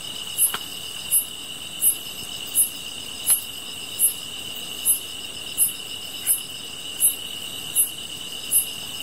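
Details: Steady shrill drone of grass insects by a campfire, with about a dozen crisp, very high chirps evenly spaced roughly every 0.7 seconds and a couple of faint wood crackles.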